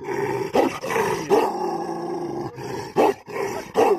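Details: An angry mastiff dog growling: rough, drawn-out voiced rumbles broken by short, sharper bursts roughly every three quarters of a second, with brief gaps between phrases.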